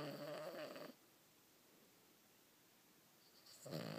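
A Cavalier King Charles Spaniel snores, a rough, rattling breath followed by a quiet pause.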